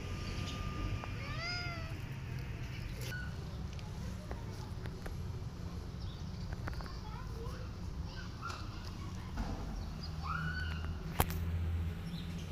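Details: Mother cat with her kittens, rescued family, giving a quick series of stacked, rising-falling mews early on, then a few softer meows later, over a constant low background hum.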